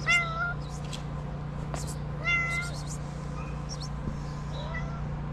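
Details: Shelter cat in Morocco, among abandoned kittens, making two clear mid-pitched meows about two seconds apart, then a faint rising mew near the end; a strong low electrical-sounding hum and a few sharp clicks run beneath.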